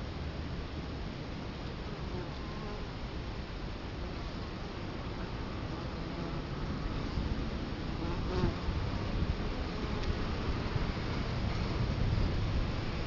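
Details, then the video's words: Italian honey bees at a hive entrance in Colorado Springs, October 2011, camera placed right in front of the hive: a dense, continuous low buzzing swarm, steady throughout and swelling slightly louder in the second half. "Bee hive Entrance"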